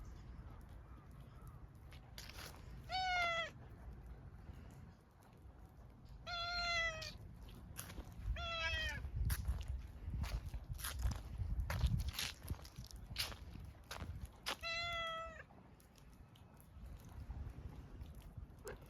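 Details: Tortoiseshell cat meowing on noticing the owner after a hesitant approach, four clear, slightly falling meows spaced a few seconds apart, with rustling, footsteps and low background rumble.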